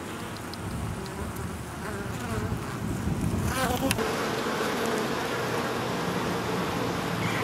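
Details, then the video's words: Drone honey bees at a growing colony in an oak tree in Tampa, Florida, getting ready to swarm; a steady busy hum of many wings swelling slightly midway, with a faint higher whine from a nearby bee. "Drone Honey bees in the tree."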